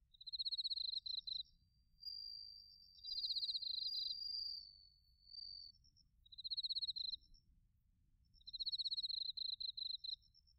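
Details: High, buzzy pulsed bursts of autumn crickets and bell crickets from Narita, Chiba, Japan, taken with a TASCAM Portacapture X8, repeating roughly every two seconds, overlapped early on by a long, even ringing trill.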